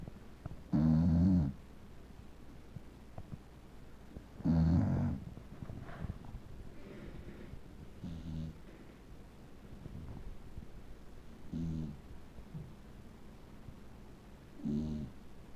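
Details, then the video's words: A sleeping male Beagle snoring: five loud, low, rasping breaths come roughly every three to four seconds. Quieter breathing fills the gaps. "Snoring Beagle"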